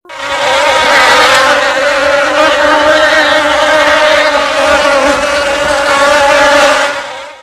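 Bees give a steady, droning buzz that holds one low hum throughout with little change.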